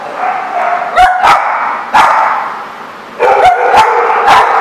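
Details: Barking dogs at The Barking Lot on 2/10/14: quick irregular barks, some doubled in fast pairs, rising over a constant din of other dogs yipping, with a short quieter gap in the middle.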